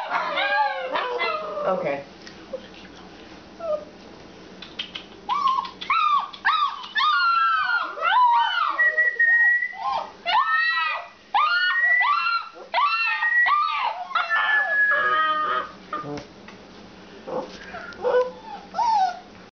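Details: Alaskan Malamutes in a kitchen at 11:45 pm, several dogs howling and whining together in overlapping, wavering calls that rise and fall in pitch, with short yips and long drawn notes broken by brief pauses.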